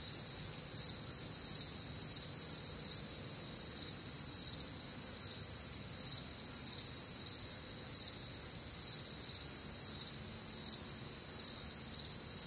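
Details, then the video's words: A Midwestern summer night, warm and humid, filled with cricket song: rapid high-pitched chirp pulses slightly faster than twice per second, several callers overlapping in distinct pitch layers, with a quiet background murmur low down. "Night Time Cricket Sounds"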